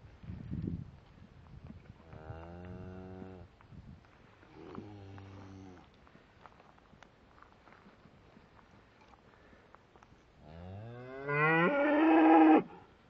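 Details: Shorthorn cows and calves at Slap Out: several drawn-out, droning moos, two moderate ones early and a louder, rising, strained one near the end, with a man's voice in between.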